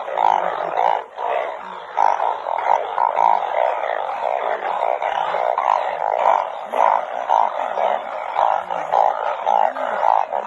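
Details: Chorus of narrow-mouthed frogs in the rain, the night the frogs are gathered up: deep, buzzy honking notes pulsing almost twice a second from many overlapping voices, forming a continuous throbbing drone.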